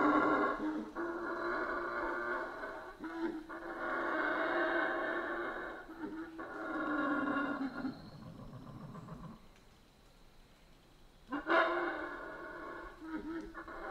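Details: Howler monkeys in the Central American rainforest giving deep, rasping roars in long sustained bouts with short pauses between, fading to quieter background for a few seconds before another roaring burst.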